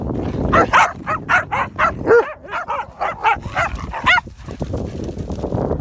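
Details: Komondor named Rasta invites play while waiting ringside for Group judging at a Championship dog show: about a dozen quick, high, ringing yelps and barks in four seconds, then fading to quieter hall murmur.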